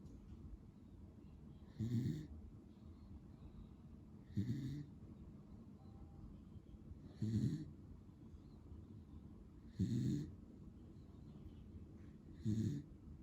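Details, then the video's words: Pero, a male lemon-and-white Beagle born in February 2015, snoring while asleep: five rough, low, rattling snores, each about half a second long, spaced roughly every two and a half seconds, with a soft breathy hiss in between. "【 beagle dog 】いびき聞こえるかなぁ。。。ビーグル犬"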